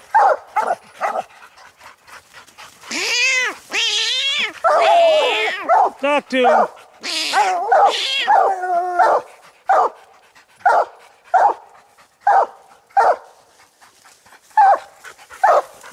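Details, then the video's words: Coon dogs Lucky, Mossie and Star, treed on a raccoon, keep up short repeated barks while a man talks loudly over them in the middle section, then steady chopped barking resumes. "coon dog treed"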